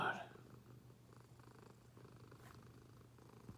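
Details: Domestic cat purring softly while it hears odd noises and reacts with surprise; a low, steady, throbbing rumble continues throughout, with a brief sharper noise at the very start and a faint click near the end.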